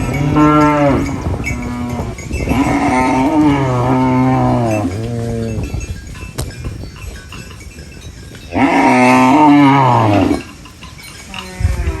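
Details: Farm cows feeding on banana leaves moo repeatedly: a run of long harmonic calls in the first five seconds, a quiet gap, then one more loud arching moo near the end.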